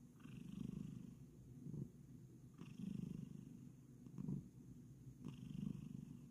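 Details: Low, rhythmic purring from Kokoa, a Bengal cat settling down for bed and kneading, with rumbling pulses swelling and easing about every second in a quiet room.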